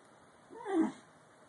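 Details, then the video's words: Bull Terrier puppy yawning: one short voiced squeal that rises and falls in under half a second, mid-pitched and tonal, with a quiet room before and after. "bull terrier puppy yawning funny"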